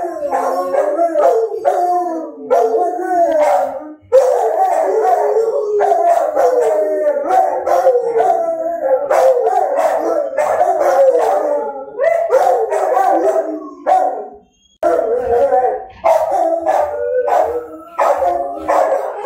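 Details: A chorus of dogs howls in overlapping, wobbling mid-pitched wails with short yelps and barks scattered throughout, followed by a brief silence and then a resumed, more ragged howling.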